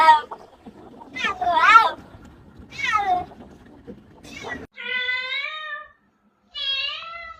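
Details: A cat meowing with wavering, bending calls, followed by two steady, level meows, with a person's speech mixed in near the start.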